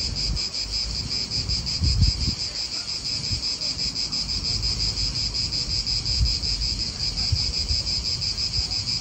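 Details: Cicadas calling in an Italian park, a dense continuous buzzing chorus with a steady high shimmer and slight rapid pulsing, over low wind rumble and distant traffic noise.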